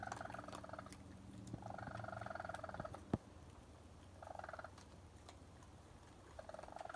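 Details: Raccoons, a mother and her young, give bursts of harsh, trilling chirps about a second long while eating on a porch around 1 am, over a low background rumble.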